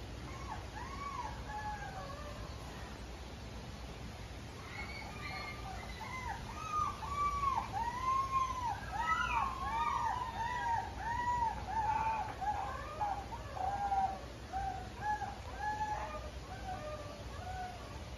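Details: Mame Shiba puppy, a calm-natured female, giving high, thin whimpers: arched squeaky whines that start sparse, then crowd into a dense, rapid run of overlapping cries from about five seconds onward, over a faint steady background hiss.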